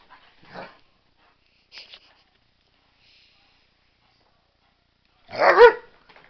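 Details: Pet dog in an excited frenzy; a few faint sounds followed by one loud, sharp bark near the end.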